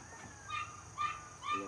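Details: Family-raised Border Collie puppy, born 5 July 2024 and 77 days old, gives three short, high, whining yips spaced about half a second apart over a steady background hum.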